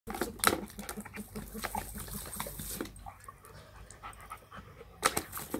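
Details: Female German Shepherd playing with a new toy, having quickly learned to turn on the water; quick rhythmic panting breaths, about three per second for the first three seconds, then quieter shuffling with sharp knocks near the start and end.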